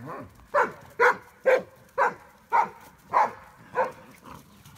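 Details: A Briard, a French dog breed, gives a steady run of eight short, punchy barks spaced roughly half a second apart, evenly loud, with little else in the background.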